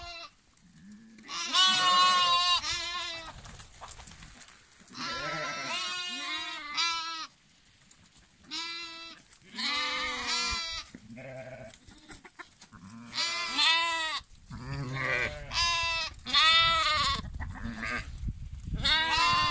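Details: Many lambs bleating almost continuously, the cries quavering and strongly harmonic, ranging from shrill high bleats to deeper nasal ones, in bursts with short gaps.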